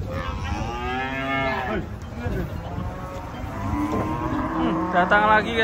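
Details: Huge cattle coming off a truck one morning at an Indonesian market: a long, full moo at the start, then a second lower, rougher moo, over a steady background of people and handling noise.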